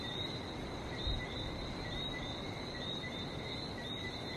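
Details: Short stretch of a Barbados frog chorus, high thin chirps repeating densely without gaps, above a heavy, even hiss of the sea.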